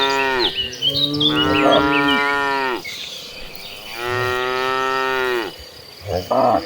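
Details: Two long, full moos, each lasting about two seconds, from a herd of hundreds of tame cattle heading to the pasture. Faint high chirps run underneath, and a short grunt closes the clip.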